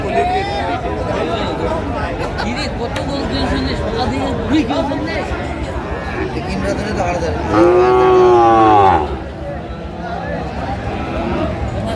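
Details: Sahiwal bull calf at a cattle market in Kurigram, Bangladesh, on 16 March 2025: a single loud, drawn-out moo midway through, over constant crowd chatter and bargaining voices.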